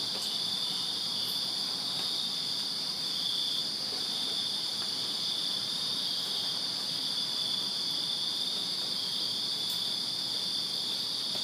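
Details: Crickets in a Virginia backyard on a summer night, many insects trilling together in a steady piercing wall of sound, with two brief sharp clicks.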